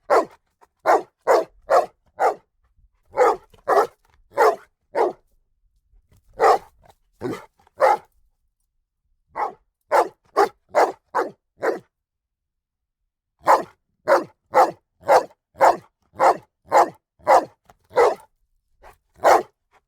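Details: Dog barking repeatedly over twenty seconds in clusters of four to nine sharp barks at a brisk, fairly even pace, separated by short quiet breaks; nothing else audible.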